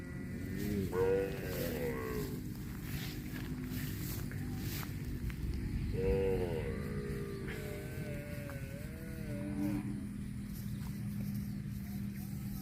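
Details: Cow mooing in a compilation of cows eating grass: two long, wavering harmonic moos rise and fall, the first near one second and the second around six seconds, over a steady low rumbling background.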